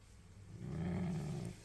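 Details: Ocho, a Dachshund × Jack Russell Terrier mix dog, scolded at home for chewing a phone charger, gives a low, steady growl that swells and holds for about a second before fading.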